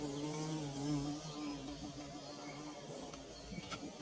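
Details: Bees building their nest, recorded up close with DSLR and phone: a steady low droning hum with wavering overtones, loudest in the first second, with a couple of faint clicks toward the end.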